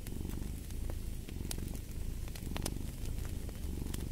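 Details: A cat's rich, low purr pulses steadily with its breathing, a buzzing rumble that fills the foreground, while a fireplace crackles and pops in scattered bursts.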